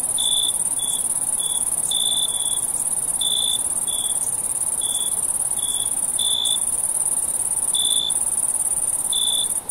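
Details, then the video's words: Crickets chirping on a summer night, with spaced single and paired short chirps roughly every second and a persistent high-pitched trill running without a break, plus soft hiss. "Natural Night Cricket Sound"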